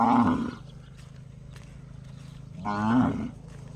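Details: A cow making a funny gong-like call: two loud, rich, ringing calls about two and a half seconds apart, each holding a strong low tone with stacked harmonics, over a steady low hum.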